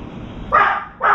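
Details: Pet dog barking near a veranda where a crow sat and a confined turtle dove flapped: a pair of abrupt, mid-pitched barks half a second apart.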